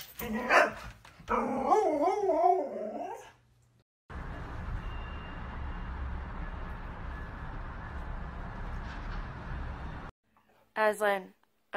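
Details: A Husky 'talking' with a wavering, yodel-like vocalization that rises and falls for about two seconds, followed by a long stretch of steady broadband noise and then a short sharp burst at the end.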